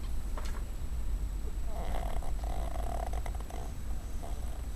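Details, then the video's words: ['A female dog named Cuddles, dozing on a desk at home, lets out faint, fluttering snores in the middle of the recording, partly buried under a constant low rumble.'] "Cuddles Snoring"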